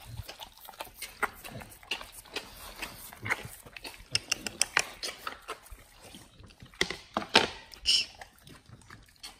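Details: Dogs eating raw chicken breast and duck feet in a raw-fed BARF meal, close-up ASMR: scattered wet crunches and smacking bites at irregular intervals, some sharper louder snaps near the end.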